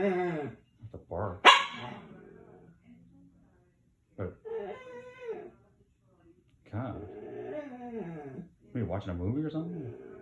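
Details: Pancho, a pet dog, lets out rising and falling whining moans in separate bursts, with a person's voice talking between them and one loud sharp yelp near the start.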